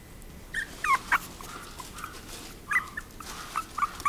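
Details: Chihuahua giving soft, high whines and a few sharper yelps, scattered irregularly with quiet stretches between them, some calls brief and pinched, others drawn out and level.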